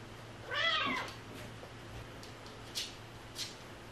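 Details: Stray cat giving a single drawn-out meow, rising then falling, against hiss and low hum, followed by two faint clicks.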